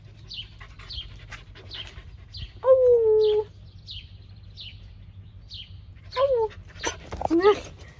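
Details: Nova, a blue-eyed Siberian Husky greeting a lunchtime visitor, gives several short, nasal whines and yelps that slide downward, between soft snorts and rustling.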